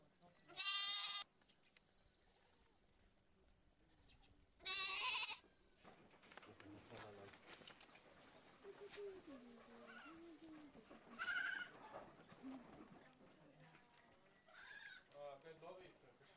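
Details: Goat bleating in two loud, harmonic, wavering bursts near the start, a third around eleven seconds and a fainter one near the end, with quieter murmured sounds and low rustling between them.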